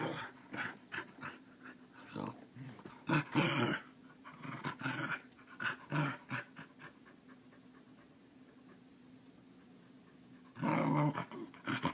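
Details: Keeshond named Scurvy, a pet dog waking its owner at the same time every morning like an alarm clock, giving a series of short grumbling, growly vocal bursts and panting, with a louder cluster near the end, indoors.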